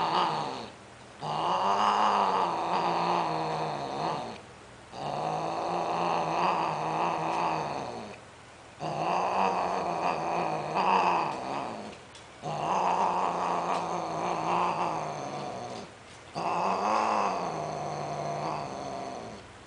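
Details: Two sterilized domestic cats, Greek short hair and Siamese, during mating: long low moaning yowls, five drawn-out rounds of about three seconds each, separated by short silent gaps, steady harmonic tone.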